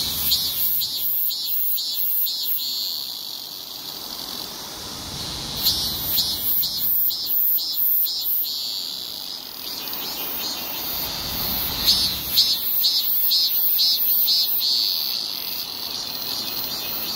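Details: Loud shrill drone of a male cicada: a sustained high buzz broken into rapid pulsing bursts in repeated series, rising and falling in intensity.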